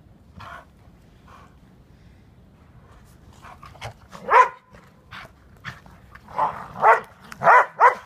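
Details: Airedale Terrier and Welsh Terrier playing in the snow: a few short barks early, then a run of louder, sharp barks in the last four seconds, spaced roughly half a second apart, with quiet low rumbling background.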